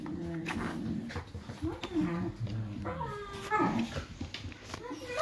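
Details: Five-and-a-half-week-old Irish Wolfhound puppies at play indoors, trading harmonic whines and short growly yelps that rise and fall in quick overlapping bursts, with a person's voice mixed in.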